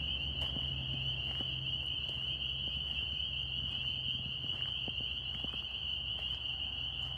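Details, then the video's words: Dense massed calling of northern spring peeper tree frogs in New York, a constant shrill high ringing throughout, with soft ticks and low droning noise underneath. "Tree frog sounds NY"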